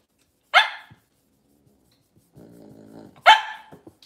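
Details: Cavalier King Charles Spaniel in a kitchen on a cloudy Monday morning: one loud sharp bark, a quiet low rumbling growl, then a second loud bark.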